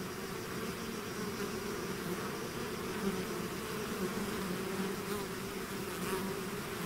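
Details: Swarming bees leaving their hive make a thick, unbroken droning buzz, many wingbeats blending into a low steady hum with faint shifting pitches.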